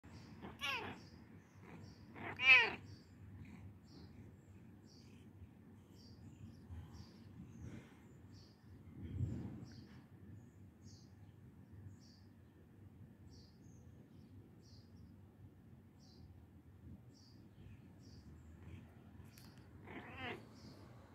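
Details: Pet cat asking to be petted: three short, clear meows, two near the start and one near the end, with quiet stretches, a soft low rustle in the middle and faint ticking sounds between.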